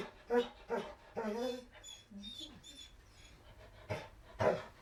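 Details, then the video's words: Dog whining while begging: a few short, nasal whimpers with clear harmonic bands, some rising then falling, spaced irregularly over about five seconds, with quieter gaps between. "Dog Whining Begging"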